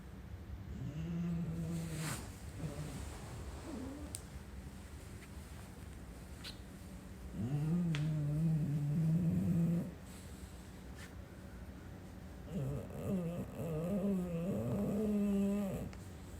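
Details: A female English Bulldog snores loudly. Three long, buzzy, low rumbling snores come at intervals, each lasting two to three seconds, separated by quieter breathing. A faint background hiss and a few soft clicks are also heard.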